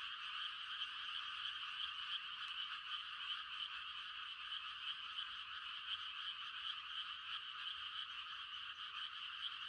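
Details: Mating chorus of many frogs on a quiet rural night in rice-planting season, a continuous high rattling drone of overlapping croaks, steady throughout with faint irregular pulses.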